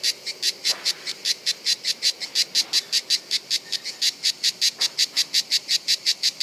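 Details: A cicada in Bollène, France, on 7 July 2015, in the breeding season, sings in rapid, evenly spaced bursts of high, hissing buzz, several pulses each second.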